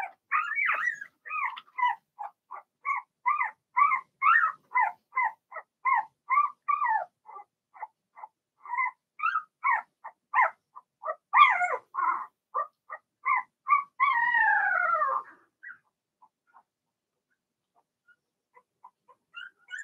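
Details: Six Blenheim Cavalier King Charles Spaniel puppies, Remy's first litter, in a home puppy pen. A rapid run of short, high yips, about two per second, keeps up for fifteen seconds, ends in a falling whine, then near silence with faint squeaks.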